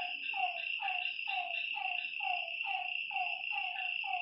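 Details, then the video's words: Frogs at a lake after dark, sounding a rhythmic series of clipped, descending notes about twice per second, layered over a bright steady drone of insects. "Lakeside night creatures and frog sounds"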